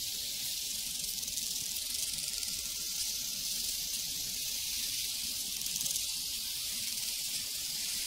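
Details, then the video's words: Prairie crickets keep up an unbroken, hissing high-pitched trill that fills the whole stretch, with a faint low ringing tone from a cowbell underneath. "Sounds from a Prairie Crickets and Cowbells"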